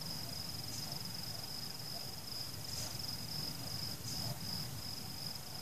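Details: Crickets chirping at night while fireworks go off. A steady, high, shimmering trill runs without a break, with soft thuds and crackles from distant fireworks and a low rumbling background. No people, pets, music or cars can be heard.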